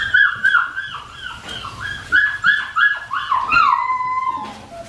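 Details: Four-week-old Australian Shepherd puppies whining: a series of about eight high nasal whimpers, each sliding downward, spaced roughly half a second apart, ending in one longer drawn-out descending whine.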